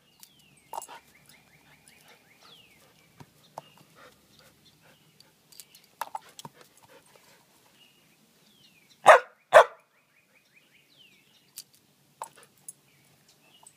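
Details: Jasper, a Samoyed dog, barks while playing fetch on a spring evening; two loud barks close together near the middle, with scattered quieter yips and clicks, and a bird trilling faintly in the background.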